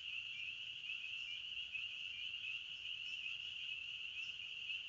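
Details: Brief stretch of forest crickets chirping: a thin, continuous high trill at a steady pitch, dense and uninterrupted, with nothing else clearly audible.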